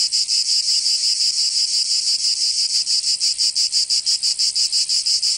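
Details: Summer cicada chorus from Provence in the south of France, a bright rasping buzz throbbing in quick even pulses, nearly three each second, steady throughout.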